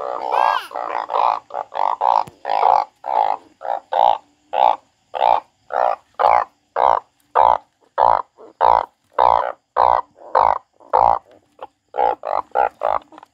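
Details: Frog croaking in a steady series of short, harsh pulses, each roughly half a second long, repeated nearly twice per second with a midrange nasal tone, continuing without pause for the whole stretch.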